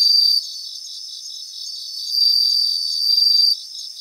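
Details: Grassland chorus of bell crickets in Japan: a short high ring, a softer pulsing interval, then a longer sustained ringing trill of over a second before it drops back to the murmuring background.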